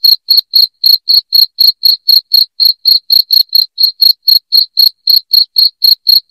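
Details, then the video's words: Shrill cricket chirps meant to repel rats indoors, an unbroken run of short pulses repeated about four times a second at an even pace, nothing else audible. "SUARA JANGKRIK NYARING PENGUSIR TIKUS"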